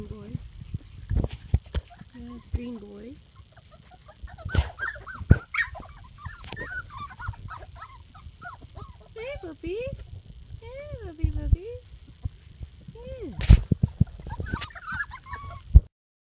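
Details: Litter of Labrador Retriever puppies aged four and a half weeks: repeated thin, wavering whines and squeals, some arching up and down, scattered over the recording among bumps and clatter, with a person talking to them.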